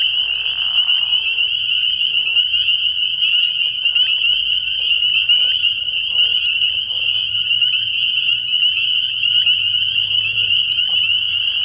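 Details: Spring peepers in a dense night chorus at a frog pond early in the year, countless high, piercing peeps overlapping into a continuous shrill band, with faint lower frog calls underneath.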